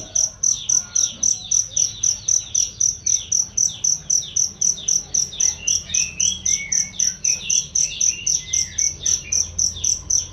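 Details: Cricket chirping as a master training sound for songbirds, loud and clear: short, very high pulsing chirps repeated steadily about four times a second, with softer sliding bird calls twittering in the background.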